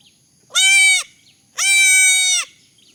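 Two loud, nasal bleats from young goats, each held steady and rich in overtones.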